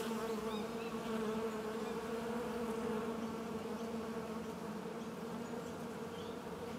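A steady, droning hum of many bees, with a low buzzing tone that holds throughout.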